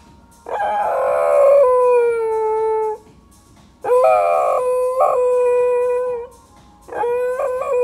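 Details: Pembroke Welsh corgi, a pet dog, howling along with a song after tilting its head back and forth: a loud, long tonal howl sliding down then holding steady, followed by two shorter howls with a quick wavering break, faint music beneath.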